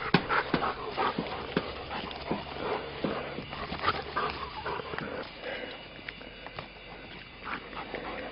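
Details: Frisbee-obsessed mutt named Brown, about two years old and adopted from a pound, pants hard between throws; uneven breathy puffs with a few sharper whimpering spikes, louder early and easing off toward the end.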